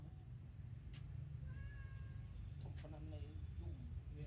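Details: Mother cat feeding milk to her newborn kittens; a short high mew sounds midway, followed by a few lower, wavering mews near the end over steady low-pitched background rumble.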